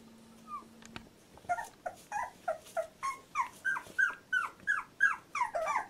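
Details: Fourteen-day-old Labrador Retriever puppy whimpering: after a faint hum and a click, a steady series of short, bent squeaky cries, roughly three per second, growing louder and more insistent toward the close.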